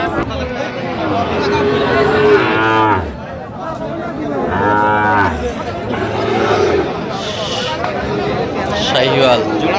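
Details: Sahiwal bull calves, about five to six months old, at a cattle market visited by a Dhaka farmer in late November 2025; two long, loud, bellowing moos stand out over market chatter and talking.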